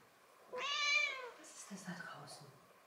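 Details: Six-month-old kitten Nelli, at home in central Germany, gives one clear, bright meow lasting under a second while chatting with a person, followed by quiet German speech asking about snow outside.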